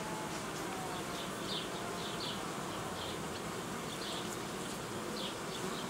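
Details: Apiary honey bees while colonies are united and young queens introduced; continuous broad droning hum of many bees, with short higher buzzing flights passing close.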